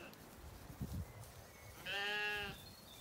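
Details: A single clear, nasal, wavering bleat from a weaned Zwartbles lamb wandering in an evening orchard on a regenerative farm in County Kilkenny, Ireland, after some soft rustling and grazing sounds.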